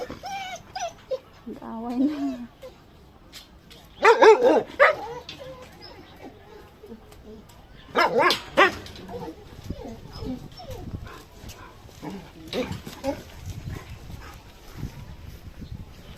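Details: A pregnant dog gives a few loud, harsh barks while a person nearby talks to it, saying no food and asking it not to bite.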